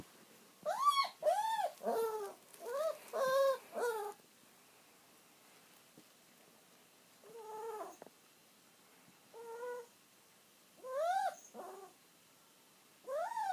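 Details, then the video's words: Aged house dog waiting for its owner to come back home, whimpering in short clusters: bursts of high, bowed whines, a long quiet gap, then scattered single plaintive cries. "鳴き声必聴 愛犬キリちゃん、御主人の帰りを待つ"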